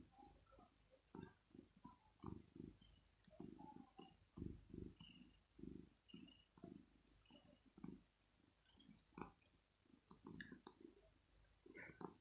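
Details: Male pet cat waking its owner early in the morning, wanting to be cuddled and petted and perhaps fed. Low rumbling purr comes in rhythmic pulses, roughly two each second, with faint high chirps in the background.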